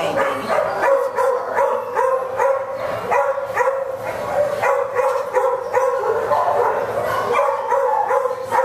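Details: Irish Wolfhound giving quick, irregular bursts of harmonic barks and yips, roughly two or three a second, loud and close, with short gaps between runs.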